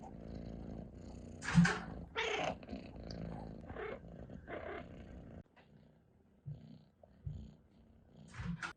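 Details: Domestic cat purring and chirping indoors. Loud chirp bursts fall over a rumbling purr in the first half, then the sound drops to softer, sparser chirps with brief pauses.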